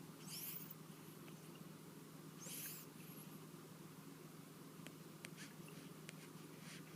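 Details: Indoor cat with a cold that won't clear up, snoring in its sleep; two breathy rasping snores two seconds apart, then faint ticking clicks over a low steady hum.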